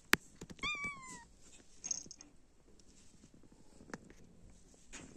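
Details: A cat, one of several out enjoying warm, sunny weather, gives a single clear meow that starts high and slides downward over about half a second. Sharp clicks and taps come before it, and faint rustling follows.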